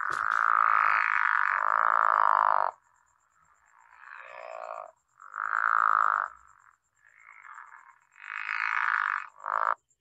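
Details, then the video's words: Soft, grating snore of a Long Island pickerel frog: a long, raspy croak of over two seconds, then several shorter rough snoring notes separated by brief pauses. "so the pickerel frog sounds like a soft grating snore"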